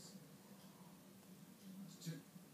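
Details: A dilute tortoiseshell domestic cat purrs in a living room, a soft, steady, low rumble that pulses evenly throughout.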